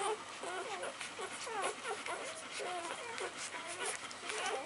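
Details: Newborn puppies of Gemma's litter, 48 hours old after a caesarean birth on 20 January 2013, finding their mother by scent; a string of thin, rising-and-falling squeaky whimpers overlapping one another, with a person talking softly.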